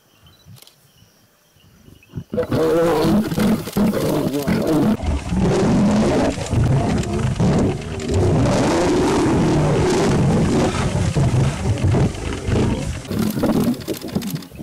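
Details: Lions in the Maasai Mara, with a lioness attacking a buffalo cow and her newborn calf. After a quiet start with clicks, loud rough snarling and growling begins at about two seconds and continues almost without pause.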